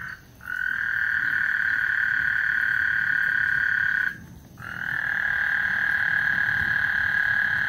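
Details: Before a thunderstorm on Lake Houston, frogs give long continuous trills, nearly unbroken apart from two short gaps, with a low murmur underneath.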